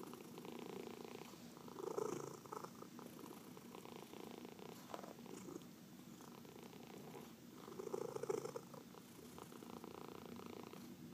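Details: Pet cat purring during a massage, one of four household cats; a continuous low rumbling purr rises and falls with each breath, louder swells at about two and eight seconds, in a quiet indoor room.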